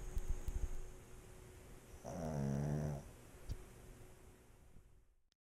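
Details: One sustained, throaty snore from a pet pug, captured for ASMR, rattling for about a second with layered, buzzing tones before the room falls quiet and the sound fades out.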